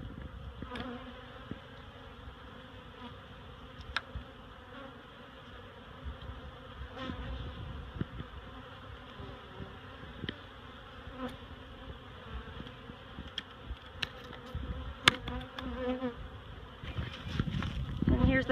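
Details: Honeybee colony taken from a barrel and shifted into a hive box at Miss Bee Haven, humming continuously in a low, steady drone while frequent clicks and knocks of handling punctuate it.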